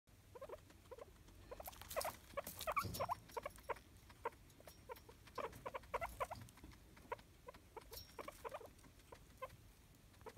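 A guinea pig gives quick, irregular bursts of short squeaks and chirps.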